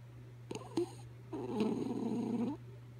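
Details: Sleeping dog Kaya Boo snores: two short squeaky catches, then one long rough, buzzy inhaled snore of about a second, all over a constant low electrical hum in a quiet room.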